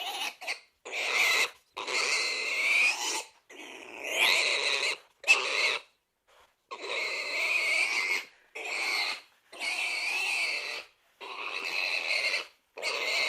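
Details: Pig squealing in a run of harsh, strained bursts, each lasting about one to two seconds and separated by short silences, with strong high overtones; around ten bursts across the stretch.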